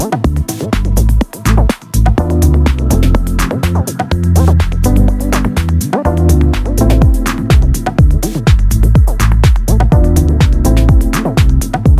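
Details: Pulsing electronic dance music with a steady thumping beat and dense synth layers fills all twelve seconds; no animal voice stands out.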